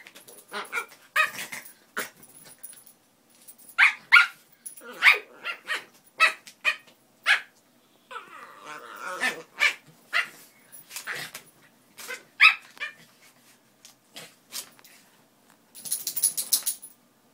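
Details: Playful Min Pins barking in rapid, high, sharp volleys of single barks with harsh growly bursts between them, ending in a brief hissing rustle.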